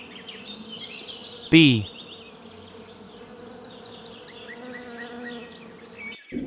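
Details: Bee buzzing from a farm animal compilation: a steady droning hum with a few wavering tones, interrupted near the start by a brief sharp knock, then continuing evenly until a short click at the end.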